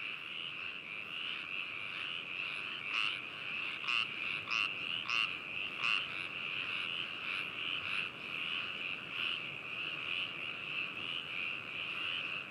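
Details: Frog chorus recorded binaurally at Hakushu, Hokuto, Yamanashi, Japan on 4 May 2018: a constant trilling wall of many frogs, with a nearer frog giving a run of loud croaks about every half second in the middle.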